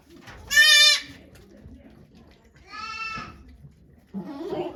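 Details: Okayu's kidding day at Yoshigake goat farm, Japan, 3 May 2023: one sharp, loud bleat, a quieter second bleat two seconds later, then a faint moaning call, with soft background rustle.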